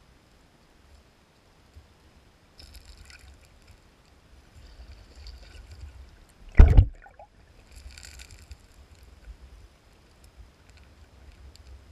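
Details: Low water sloshing and gurgling, with one sharp splash midway and soft hissy rustles; no animal voice.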